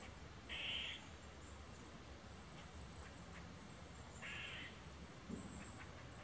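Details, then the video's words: Eastern gray squirrel sounding its alert bark after seeing people on the trail; two brief rasping barks about three and a half seconds apart against a continuous high-pitched hiss. "Eastern Gray Squirrel Barking"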